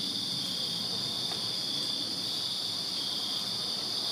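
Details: Crickets chirping in a backyard on a summer night in Virginia, a dense, steady high-pitched trilling chorus of many insects forming a continuous band with a second higher shimmering layer, no pauses, faint low rumble beneath.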